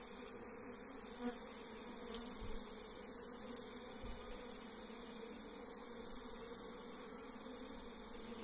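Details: Wild forest honey bees at a hive being harvested by bare hand: a steady, even droning hum throughout, with a few faint knocks and rustles.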